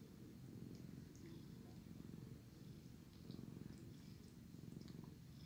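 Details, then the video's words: Loud purring from a sleepy male cat being licked clean by his brother cat; deep rhythmic rumble pulsing with each breath, about three-quarters of a second apart, and scattered small wet licking ticks. "Sleepy, loud purring cat getting cleaned by his brother"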